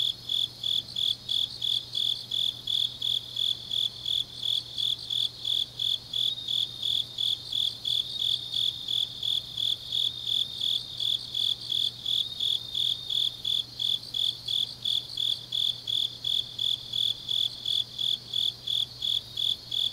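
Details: Grass insects on an autumn night in Changnyeong, Gyeongnam, Korea produce a dense, steady stream of high chirps, nearly three per second, plus a quieter layered trill and constant low hum.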